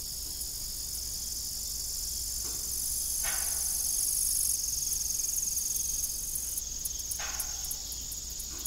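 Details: Evening cricket chorus at an old farm with a broken windmill: a continuous high, shimmering trill, joined briefly by a second buzzing layer, with soft intermittent thumps of the windmill beneath.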